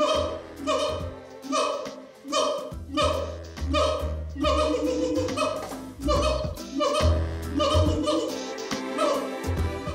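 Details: Zoo siamangs, male Harry and female Mila, sing among their first songs after being put in contact. Rhythmic, ringing hoots repeat about once a second over deep booming notes.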